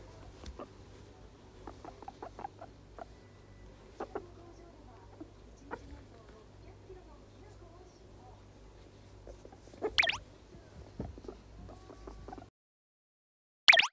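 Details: A guinea pig, one month after arriving in its new home, gives brief high squeaks among soft clicks and rustling patter.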